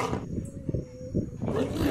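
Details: African lion giving deep, low grunting bursts in quick succession, a few rough pulses over two seconds. Lions cannot roar until two years old, and the roar carries about 8 km.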